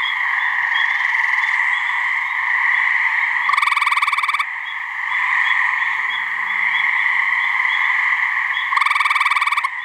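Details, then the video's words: Gray treefrog mating calls from a pair of frogs in a New Hampshire swamp: two loud, fast pulsed trills about a second long, spaced several seconds apart, over a steady dense frog chorus. "Gray Treefrog mating call"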